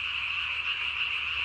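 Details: A Japanese tree frog calls after dark on 3 May 2020 with its vocal sac inflated beneath the jaw to match its body, producing a sustained, bright, grating trill with little change in pitch or loudness.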